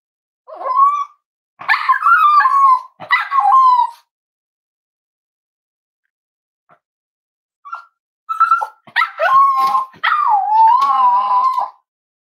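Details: Snuggling Cavalier King Charles Spaniel puppies, kept at a home where emotional support dogs are raised, give a run of wavering nasal whines and yips in two bursts separated by a few seconds of quiet, on a warm Friday morning.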